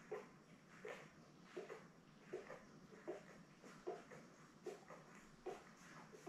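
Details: Newborn Labrador Retriever puppies with their mother Belle, born May 24, 2021, filmed indoors; short nasal whimpers repeated fairly evenly, a little under once per second, over a quiet room hum.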